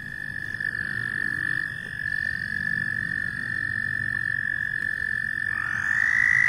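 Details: Loud frogs giving a steady, high, buzzing trill that holds one pitch for several seconds, with a second trilling voice rising in near the end over a low rumbling background.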